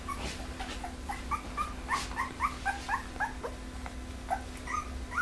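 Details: Litter A of Pembroke Welsh Corgis, Preberry kennel, out of Image Čičiko by Danny Toivu My Delight: many short high whimpers and squeaks tumbling over each other, several callers at once, over a faint steady hum.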